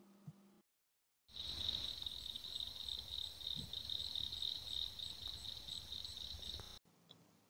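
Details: A group of Eastern cricket frogs, pond-dwelling frogs heard from April through summer, calling in Rhea County, Tennessee, gives rapid, high clicking calls like marbles dropped or pebbles tapped together.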